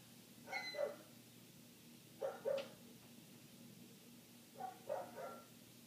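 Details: A neighbouring dog barks for minutes on end, heard from inside with the windows shut. Three muffled clusters of two or three quick barks come about two seconds apart over a constant low electrical hum.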